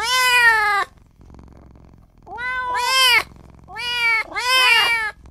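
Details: Kitten just born, crying for its mother and for its owner: a long strained meow, a pause, then a cluster of three overlapping high wavering cries near the end.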